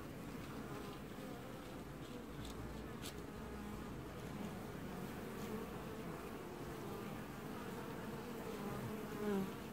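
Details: Honey bees at the hive entrance in an apiary, July 2019, washboarding as a colony: a continuous, even buzz of many wings that rises briefly in loudness just before the end.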